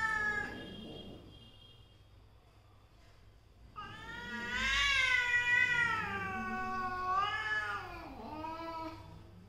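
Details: Between a mother cat and her daughter, a brief call and a quiet pause give way to a loud, warbling yowl that bends up and down for several seconds before dipping low.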